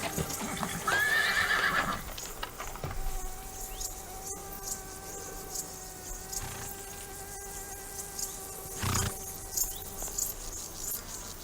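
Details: A horse in a herd on a farm gives a brief, quavering high whinny, followed by a long, steady tonal hum.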